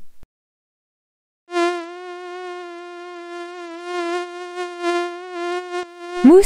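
A mosquito's thin, steady whine holds one nasal pitch with a slight waver for several seconds.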